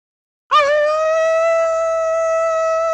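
A wolf gives a long, steady howl that starts abruptly and holds one clear, mid-pitched note.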